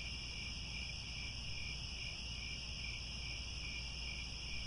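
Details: Grassland crickets near Angkor Wat, Cambodia, at sunset give a constant, layered high trill that shimmers without breaks, over soft low-frequency background noise.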